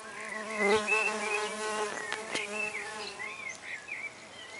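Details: Red orchard mason bees, six wild females, busy at a new recycled-oak nest block with 8mm holes in a back garden: a steady, wavering low buzz that swells and fades as they fly close, with faint bird chirps behind.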